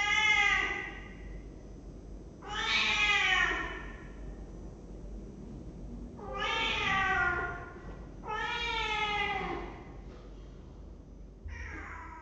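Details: Five clear, loud meows from a cat in a cat room, recorded by webcam on 23 December 2015, each one a second or so long and arching down in pitch, spaced a few seconds apart in a quiet indoor room.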